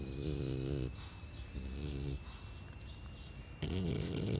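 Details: Elderly French Bulldog aged twelve making quick, rattling snore-like breaths in three separate bursts, with a quieter gap in the middle and a faint steady hum behind.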